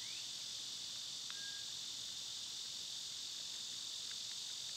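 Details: Summer cicada chorus, a constant shrill buzzing drone filling the air without pause; one brief thin bird whistle and a couple of faint chips sound faintly through it.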